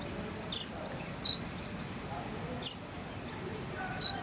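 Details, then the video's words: Jangkrik sambung cililin cricket used for teaching konin birds, here sparse: four isolated high, piercing chirps over roughly four seconds, separated by quiet stretches of low background hiss. "KONIN ISIAN JANGKRIK SAMBUNG CILILIN"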